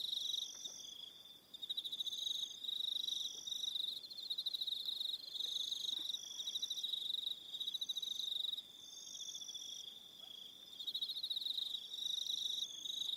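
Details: Crickets calling in the evening on Aroha Island, New Zealand: a dense, continuous high-pitched pulsed trilling, with several overlapping insects at slightly different pitches, some chirps stopping and restarting in short bursts.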